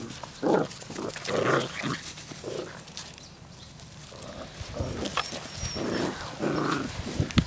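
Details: Puppies play fighting outdoors, 1/4/2013: rough, noisy growling bursts recur roughly every second, fading midway and then returning in uneven snarls.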